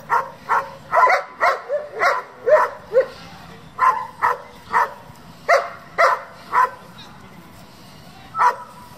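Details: Working-group German Shepherd raised for competition barking in uneven series of sharp barks about two per second, a pause after three seconds, then more spaced barks and a last single bark.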